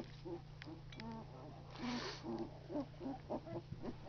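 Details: Two-week-old Labrador Retriever puppies giving a run of short, soft, low squeaks and grunts, several per second, with a steady low hum beneath.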